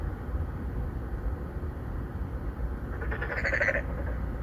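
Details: Korean narrow-mouthed frog (maengkkongi) calling for females at a pond inside an apartment complex in Songdo, Incheon, Korea, one of three or four present, phone-recorded in 2019; a single brief pulsed, nasal croak after three seconds of low rumbling background noise.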